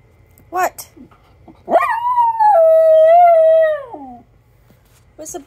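A Miniature Schnauzer lets out a long, wavering howl that holds steady, then slides down at the end.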